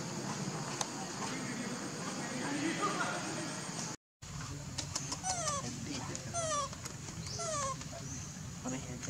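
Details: Baby monkey calling its mother for milk: after a brief gap, a run of thin, high squeals, each sliding downward and repeated in quick succession, over a steady outdoor hiss and low background murmur.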